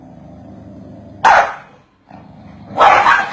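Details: Corgis barking at each other: a low steady hum, then two sharp, loud barks about one and a half seconds apart, with a short quiet gap between them.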